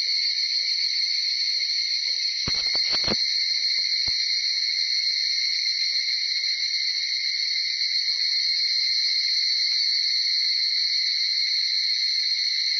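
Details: Early-morning chorus of Tanna japonensis cicadas around 4:30–5:00 in Uda city, Nara, Japan; steady piercing buzz in two high bands fills the whole clip, interrupted by a brief cluster of thumps around two and a half seconds.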